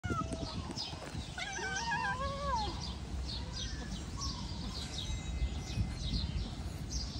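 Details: Cat giving one drawn-out wavering meow lasting about a second, rising then falling, over a noisy indoor background with faint scattered clicks.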